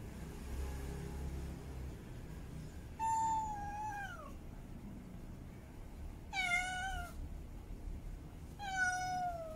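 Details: Mate calling by a female cat in heat: three meows a few seconds apart, the first sliding downward in pitch, the later two shorter and bright.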